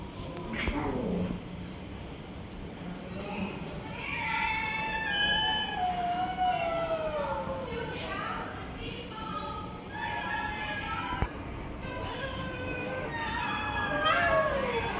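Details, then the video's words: Stray cats squabbling as a tiger cat grabs food from the others: a run of wavering, descending meows overlapping one another, with a sharp click and steady background murmur of voices. "Tiger Cat is Snatching Food from Other Cats and Not Letting Eat Anyone Else"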